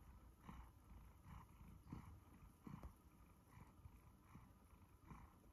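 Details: One-year-old male Siberian Forest cat named Sacha purrs while being stroked; deep steady rumbling with rhythmic breathy swells about every 0.7 seconds, slightly hissy on each inhale.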